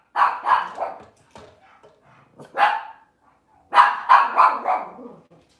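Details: Indoor kitchen recording of a Cavalier King Charles Spaniel on a cloudy morning: a quick run of three barks, a pause, one bark, then another burst of three rapid barks.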